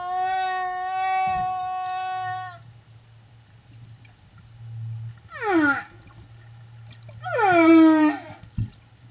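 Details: Escort humpback whale singing near a mother and calf, Silver Bank, Dominican Republic, April 2015: a sustained harmonic moan that stops abruptly, then a low hum and two descending wailing sweeps ending in low groans.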